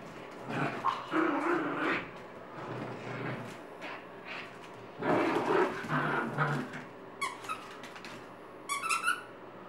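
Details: Chica, a pet Chihuahua, playing with her purple toy monkey on a Sunday morning, lets out rough, throaty growls in uneven bursts. Sharp high squeaks sound near the end.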